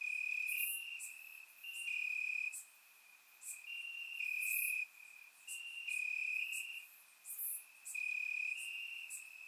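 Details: Crickets in grass on a warm summer night in Bulgaria: shrill, steady trills in bursts lasting about a second, separated by short quiet gaps, with louder and softer callers interleaved, surround microphone recording.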